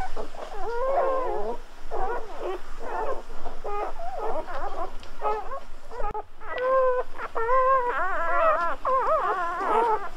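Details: Freshly born Golden Retriever pups cry continuously, thin warbling squeaks and whines rising and falling, several voices overlapping with one brief pause midway.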